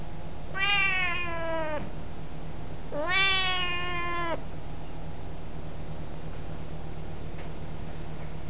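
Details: Mia, a very talkative Siamese cat, saying hello indoors in footage from 2005: two long, deep, loud meows, each about a second and a half, rising then slowly falling in pitch, with steady low hum beneath and quiet afterwards.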